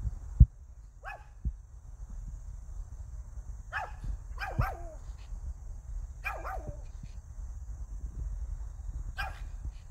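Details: Barking from Hiku, a pet Pomeranian: scattered single and paired sharp yaps, some with falling tails, spaced a second or two apart, over low steady rumble and occasional thumps.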